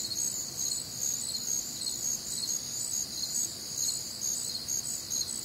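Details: Many crickets chirping on a humid, warm Midwestern summer night, rapid repeated high chirps in tiered bands forming a steady, pulsing nocturnal chorus with no other noticeable sounds.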